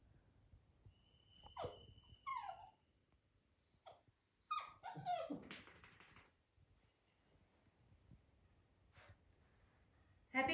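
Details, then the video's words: A Labrador puppy called Happy, wanting to get up on the bed to cuddle, whimpers indoors: a long steady high whine, then a burst of squeaky yips and falling whimpers, with a person telling him to go to his bed. "Lab Puppy asking to get him to bed for cuddling"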